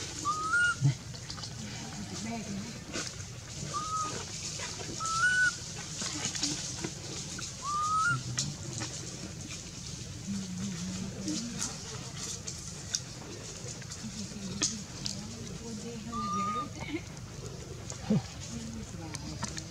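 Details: Anissa, a hungry baby monkey, crying for her mother for milk: short, high, whistled cries with a slight rise, about six spread irregularly over twenty seconds, above faint human voices and low rustling background noise.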